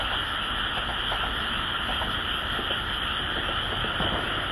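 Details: Continuous frog chorus in the Japanese countryside, a steady shimmering trill held in two high bands without pause over a low background rumble.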